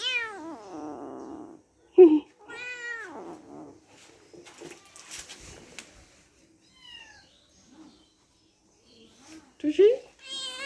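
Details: Kittens at play with each other give a string of short, bending meows, some high and thin, separated by quiet gaps with faint rustling and light knocks.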